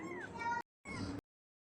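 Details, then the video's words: Newborn kitten meowing in a home in Bangladesh: two short, thin, high cries, each sliding downward, split by a brief gap and ending abruptly, with faint background chatter. "আমার বিড়ালের বাচ্চা হয়েছে"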